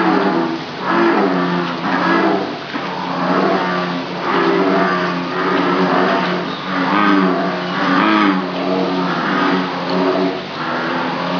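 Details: Farmed bullfrogs at Jurong frog farm in Singapore, many calling together: deep, rough, droning croaks that swell and fade in overlapping pulses about once a second. The loud chorus is continuous, with no other clear sounds.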